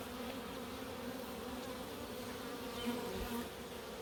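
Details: Routine inspection of Africanized honey bee hives in Puerto Rico; the colony gives a continuous low, even drone with faint higher whines drifting across it and a slight swell near the end.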